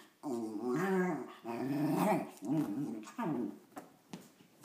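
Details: Cairn Terrier mix from the SF Bay Area grumbling in longer, rolling growls, the voice bending up and down over roughly a second each, four bursts then quieter breathy sounds at the end.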